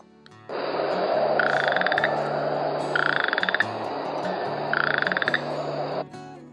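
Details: Western chorus frog heard in the Hamilton, Ontario watershed: three rising trills like a thumb run over a comb, spaced about every two seconds, over a background chorus of fainter frogs and a low humming tone.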